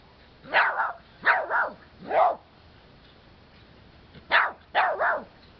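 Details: Two dogs playing with a red-eared slider turtle give short, sharp barks, some doubled, in two bursts separated by a pause.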